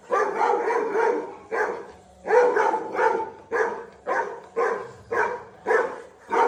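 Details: The Labrador Dhoni barks steadily, about nine loud harmonic barks coming roughly every half second to second, in a regular rhythm with short quiet gaps.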